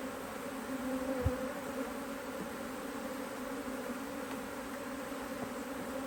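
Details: Honey bees at an Australian-designed Hive IQ beehive, opened in mid-Autumn 2023 in Australia to add a box of empty frames during fine weather with a strong colony; a steady, dense droning hum with a brief thump early on.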